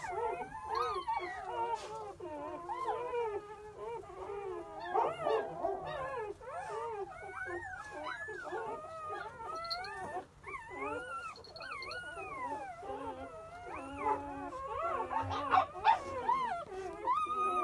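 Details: Newborn English Pointer puppies, several together, giving a continuous chorus of overlapping high whining squeals and whimpers, rising and falling, many each second.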